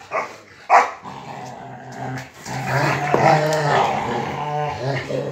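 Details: Rottweilers fighting over a motorcycle tire: sustained deep throaty growls with harmonic bands, swelling louder in the second half, broken by short snarls and a brief sharp knock.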